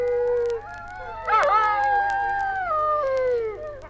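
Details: Dingoes recorded in Australia on a 1968 wildlife record howl in long, sliding, mournful tones, several voices overlapping with wavering pitch, rising briefly then trailing slowly downward.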